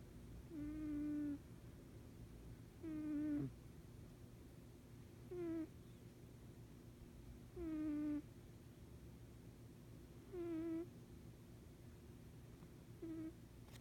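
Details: Cat asleep and snoring: six short, flat, nasal tones spaced two to three seconds apart, each ending with a slight drop, over faint low background hum indoors.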